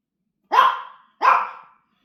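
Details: Frightened pet dog James, afraid of a massager and refusing treats, lets out two sharp barks about three-quarters of a second apart inside a quiet room.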